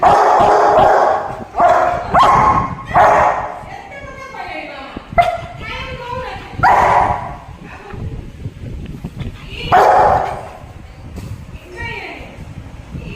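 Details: Rottweiler guard dog barking angrily over chicken, with several short, harsh barks spread through the recording, mixed with a person talking nearby.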